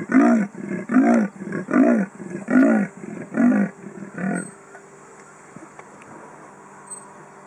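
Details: Leopard calling for a mate around 5.30 pm in Kruger National Park, filmed from a car with a small Sony Cybershot; six harsh sawing grunts, evenly spaced and fading at the end, followed by quiet background hum.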